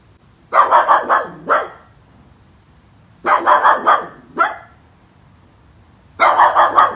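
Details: Angry poodle barking powerfully in quick bursts of four or five sharp barks, then a single bark, with pauses of about two seconds between bursts; otherwise quiet.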